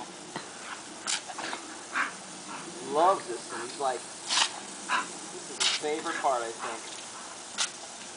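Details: Schatzi, a bull terrier, biting at running water; short, warbling whines with wavering harmonics come in bursts, over intermittent splashing and a person's voice praising him.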